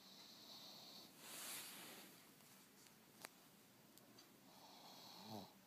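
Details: Pug named Monster snoring in its sleep: hissing wheezes at the start and end frame a breathy rush of air, with a single small click in the middle.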